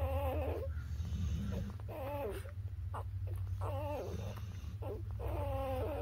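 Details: Newborn puppies, between birth and three weeks old, whimper and squeal in soft wavering cries repeated several times over a low rumbling background hum.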